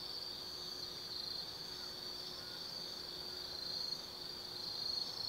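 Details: Autumn night at Tsukimi no Mori, Gifu Prefecture, Japan, above the Nobi Plain: a steady, high, sizzling insect trill fills the recording, growing slightly louder toward the close, with a faint thin tone lower down.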